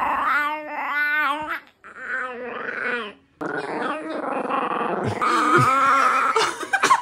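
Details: Pet bichon frise making strange vocal noises in a room: a wavering harmonic whine, a quieter moan, then a long rough growling howl that grows louder and higher, with yip-like accents.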